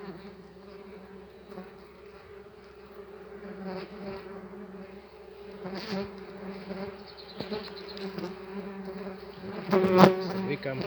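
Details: A large, aggressive tree bumblebee colony in an apiary nest box, lid open, hums in a continuous low buzz that grows louder toward the end, where a bee strikes with a sharp crack.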